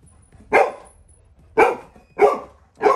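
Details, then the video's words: Little John, a Labrador Retriever puppy, barks while guarding home as a stranger comes inside; four sharp, loud barks spaced about a second apart, with a quiet room behind. "Labrador puppy guarding home when stranger enters"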